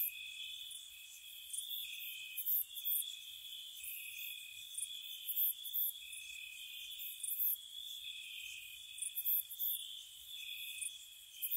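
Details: Night-time cricket chorus in spring by a cottage: an unbroken shrill trill with its lower tone dropping out now and then, and frequent bright chirp clusters pulsing on top.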